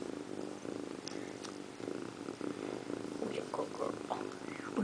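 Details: Indiana Piano Rabbit, a female pet cat, sits in a bathroom sink grooming her toes; a steady, low, rhythmic purr runs throughout, with a few soft murmured words from a person toward the end.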